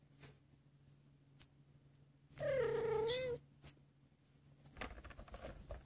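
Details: Abyssinian kitten from a rainbow litter of four, three males and one female, in a cattery; a single clear, drawn-out mew lasting about a second, wavering slightly in pitch, between quiet pauses with faint clicks and rustling.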